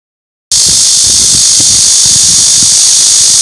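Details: Cicada song, a loud unbroken high-pitched buzzing drone that starts abruptly after half a second of silence and holds steady, with a faint pulsing rattle beneath it.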